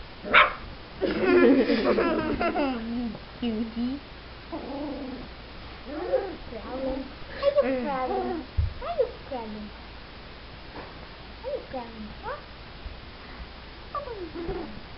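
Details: Four-week-old Wheaten Terrier puppies, several together, giving a run of high, wavering whines and yelps that rise and fall, some with short barks, over a steady indoor hum.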